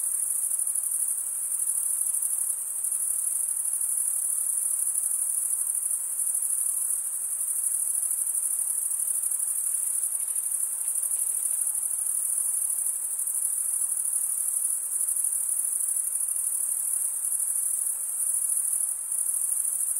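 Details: Crickets chirping nonstop, their stridulation forming a piercing high, even trill that barely varies in loudness, with a quiet empty background.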